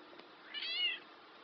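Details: Black domestic cat known for talking, making a single clear meow of about half a second that slides upward and then down, with a faint soft sound just before it and steady hiss throughout.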